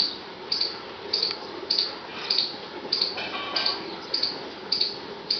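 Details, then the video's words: Squirrel in the forest, squeaking as a warning and communication call: short, sharp high squeaks repeated steadily about every half second, nine in a row, over a soft hiss of background noise. "Squirrel Squeaking Sounds: Communication, Warning Calls"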